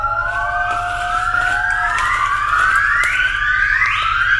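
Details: A wild yellow-cheeked gibbon (Nomascus gabriellae) in a Vietnamese forest calls with pure, whistled notes that swoop upward, each rise climbing higher and faster than the last, over a soft forest hum.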